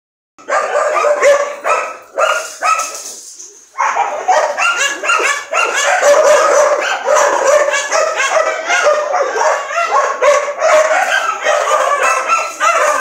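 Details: Dogs bark and yip in a dense, overlapping chorus of sharp, fairly high-pitched calls. A few spaced barks open, a brief lull follows, then nearly continuous excited yapping.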